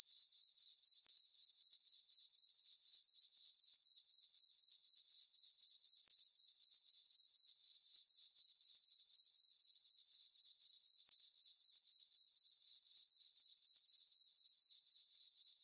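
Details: Crickets chirping on a peaceful summer night in a meadow on a farm under a full moon: very regular high-pitched pulsed chirps, about four per second, continuing steadily with nothing else heard.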